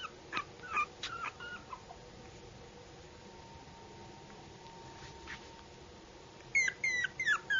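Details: Yorkshire Terrier puppy giving high whimpers and short yips, a few at the start, then a quiet stretch with a faint steady hum, then a burst of sharp squeaky cries at the end.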